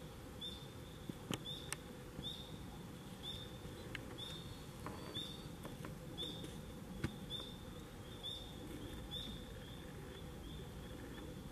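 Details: Autumn chorus of tree frogs amid fall leaves, October 25, 2021: brief high trills repeat at an even pace about every second for the whole stretch, over constant background hiss with a few faint ticks.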